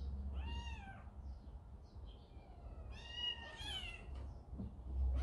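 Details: Kitten in a large domestic cat family, scolded by its older brother and going to its mother: two clear arched meows, a short one then a longer, louder one after a pause, over a low indoor hum.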